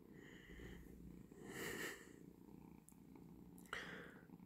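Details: Relaxed Persian cat purring softly indoors while lying contentedly; it had woken its owner at 5 am to ask for food. A low, steady rumble runs throughout, with a brief louder swell midway and a faint click near the end.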